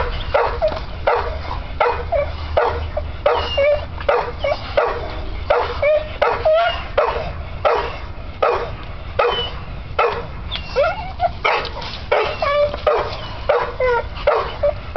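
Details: American Bull Terrier playing on a spring pole, giving rapid, rhythmic bursts of strained whining and yipping, roughly one every half second to second, with rising and falling tonal squeals and a low rumble underneath.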